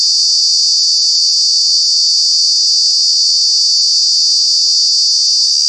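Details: In Kanha National Park, Madhya Pradesh, India, during the summer months, a cicada gives a loud, steady, high-pitched buzzing drone that holds without a break.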